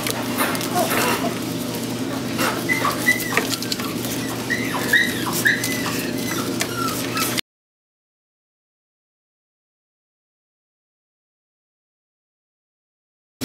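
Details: Toy Poodles of the AKC-registered breed, giving thin, high whimpering yips that rise and fall in short bursts over steady background hiss, before the sound cuts to silence.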